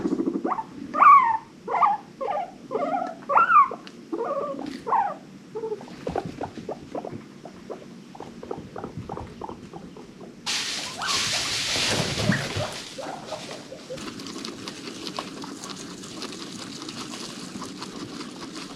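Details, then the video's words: Pet guinea pigs from an adopted herd: a run of short rising squeaks in quick succession, then soft pulsed rumbling, a brief burst of loud rustling noise, and a quieter stretch at the end. "Best guinea pig noises of the wheek!"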